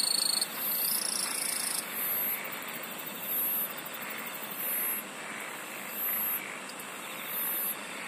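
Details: Insects singing in a dense chorus: very high buzzy bursts pulse on and off about once every second and a half over steady shrill trilling bands and a constant hissing background.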